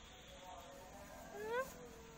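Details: One brief rising meow from a black cat that swells quickly, then cuts off, heard against a low steady background hum.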